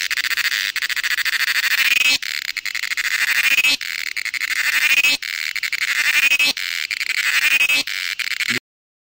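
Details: Western Ghats cicadas in Karnataka, India, giving a loud, sustained high buzz in long phrases separated by brief pauses, each phrase swelling with a faint rising whine near its end.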